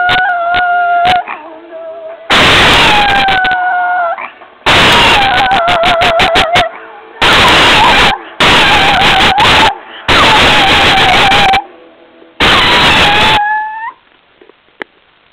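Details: A female pet Chihuahua howls along to the CSI theme song, her ears perking up at the music: sustained, wavering, mid-pitched howls that rise at the ends, filling the gaps between loud bursts of music.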